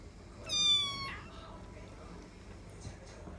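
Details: Bengal cats Shelly and Arthur on the third day after first meeting; one gives a single clear, harmonic-rich meow lasting about half a second, level then falling, followed by quiet room sounds.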